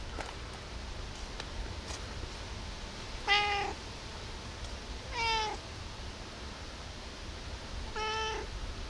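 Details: Hungry cat at around 5 a.m. giving three meows a couple of seconds apart, the second rising then dropping in pitch, against a faint steady hum.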